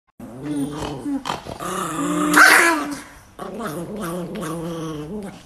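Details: An angry Chihuahua growls with a low harmonic rumble, breaking into a louder, strained whine-like outburst midway, then resumes steady growling; a person's voice is faintly present.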